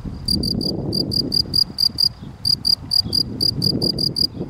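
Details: Field cricket (Gryllus campestris) chirping in short pulsed bursts, groups of three to six chirps separated by brief pauses, with low rumbling background noise.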